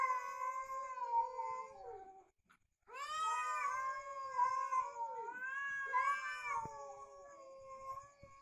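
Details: Fighting cats trade long, quavering yowls with rich overtones, broken by a brief pause, then a sustained moaning wail that swells and bends up and down in pitch.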